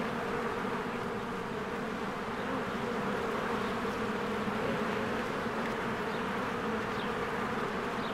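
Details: Busy honeybees at their hive in springtime, flying in and out; an even, layered buzz of many wings holding steady, with a few faint high bird chirps near the end.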